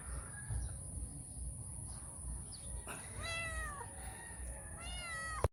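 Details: Stray cat named Calita, who comes to feed every morning and early evening, meowing for affection and cuddles before eating; two short harmonic meows around three and five seconds over a steady low hum and high electrical whine.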